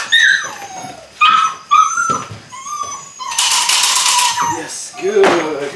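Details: Young Belgian Malinois puppies of one litter, eight weeks old, starting bite work: thin, high whimpers that slide down in pitch, a few short yelps, then a loud rustling burst and a brief low whine.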